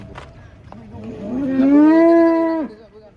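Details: Large cattle being unloaded from a truck in Indonesia; a single loud moo about one second long, rising then holding a steady tone before stopping abruptly, with rich harmonics, faint speech and background clatter before it.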